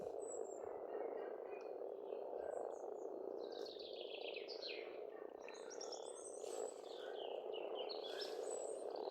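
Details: Chorus of many frogs at a spring pond on an Estonian farm: constant rolling croaks blending into one low hum, with scattered bird calls and short trills higher up.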